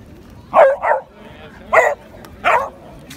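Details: At the Van Gogh Museum in 2017, a Beagle bays at a Samoyed the whole time, "singing" to it. The Beagle gives four short, mid-pitched baying barks, with a doubled yelp at the start.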